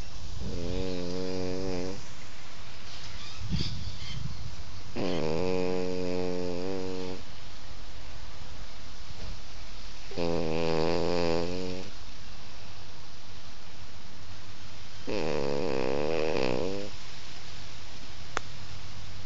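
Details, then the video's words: French Bulldog asleep and snoring indoors: loud, rumbling, nasal snores lasting about two seconds each, four main snores spaced roughly every five seconds, with softer breathing between and steady background hum. "French Bulldog Snoring"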